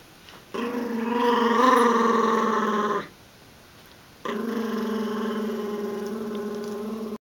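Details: During a tug-of-war game between golden retriever puppy Filé and chihuahua-dachshund mix Sonic, two sustained growls, each about two to three seconds long, steady and throaty with a short silence between them.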